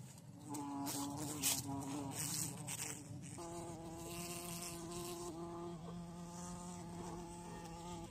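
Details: A bee caught while being hunted and watched in the bush gives a steady, droning buzz. Its pitch drops partway through, then holds low and even, with rustling and handling noise above.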